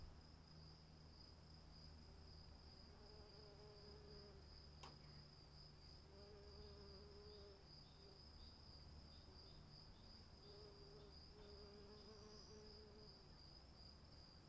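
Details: Cricket chorus during rain, a continuous high pulsing trill with a thinner, higher tone layered above, accompanied by a low rain rumble, brief lower warbling notes and a sharp click near the middle.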